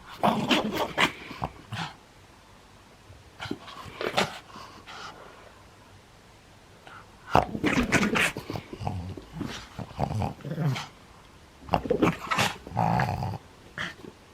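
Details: Maria, a nine-year-old pug in Japan, playing on 11 January 2020: bursts of rough, low growling and whimpering noises in clusters, with quiet pauses between and a snorting, panting quality.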